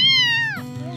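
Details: A rescued male kitten, about 3–4 weeks old and found alone, apparently crying for its mother, gives a single high, clear meow, held steady then sliding down after about half a second, over a faint low hum.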